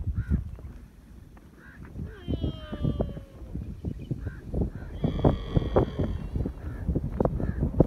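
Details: A baby camel with its mother in the desert, drinking milk, gives drawn-out, nasal bleating calls over low rumbling and thumping noise.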